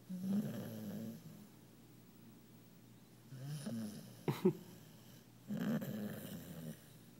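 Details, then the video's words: Sleeping female puppy Alli, knocked out after a fun day and twitching in her sleep, gives loud low snores in two long rumbling breaths separated by a quiet pause with a couple of brief sharp noises between. "Funny Loud Snoring Zombie Alli Dog"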